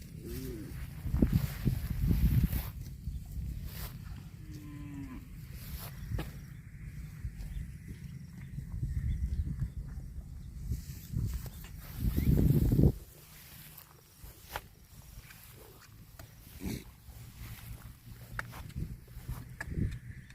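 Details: Cattle out grazing on grass, giving low lowing moos with rising harmonic bands, the loudest near thirteen seconds, among chewing, rustling and footstep-like thumps outdoors.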